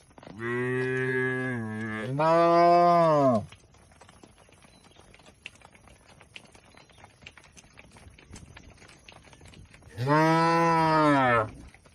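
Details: Tame cattle being herded to a wide field in peaceful countryside: a long two-part moo that holds steady, then rises and falls, then a quiet gap with faint rustling, then a second drawn-out moo near the end.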